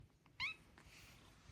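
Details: Female domestic cat giving one short, soft meow indoors, a brief bright falling cry in a quiet room, followed by faint rustling.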